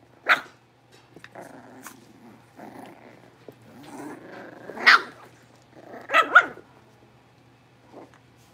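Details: Litter of five blenheim Cavalier King Charles Spaniel puppies playing in their new big pen at home: low rumbling puppy growls between scattered high, squeaky barks, with a final soft yap and a faint background hum.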